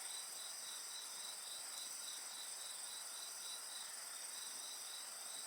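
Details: A chorus of insects by a crackling bonfire: continuous piercing high-pitched trills over a rhythmic chirp repeated roughly three to four times per second, with one soft pop of burning wood.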